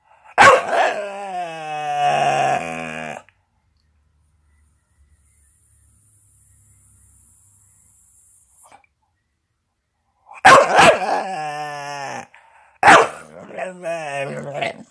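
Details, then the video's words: Chattering Staffordshire bull terrier giving wavering, moan-like harmonic grumbles: a three-second burst, then a long quiet gap, then several shorter rising and falling vocal bursts near the end. "Chatterbox Staffordshire bull terrier"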